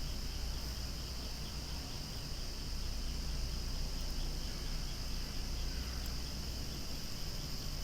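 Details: Cicadas calling loudly beside flowers swaying outdoors, a dense, unbroken droning buzz held at a steady level throughout, with shrill bands high up and a low rumble of background noise underneath.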